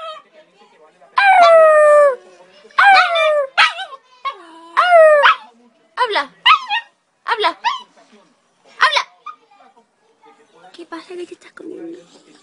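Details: West Highland White Terrier 'talking': a run of about eight drawn-out, yodelling whine-howls with sliding, falling pitch over ten seconds, between short pauses, while a person speaks Spanish, urging it to talk.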